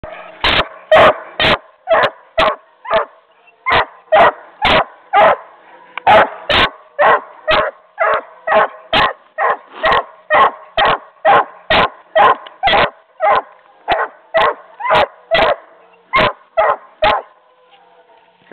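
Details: Coonhound puppy barking: a long run of short, sharp barks repeated about twice a second at a steady pace with brief pauses, each bark bright and clipped; room fairly quiet otherwise, with a person praising the dog just after.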